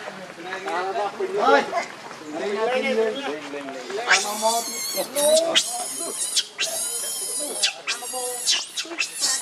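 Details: Hungry baby monkey Leo cries to its mother for milk: wavering, rising whimpers, then loud, harsh, broadband screams in repeated bursts during the second half.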